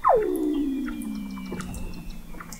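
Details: Weddell seal singing under thick sea ice in McMurdo Sound, Antarctica, recorded November 2017 by the McMurdo Oceanographic Observatory 21 m below the ice; one loud whistle sweeps steeply down, then glides long and low, fading slowly.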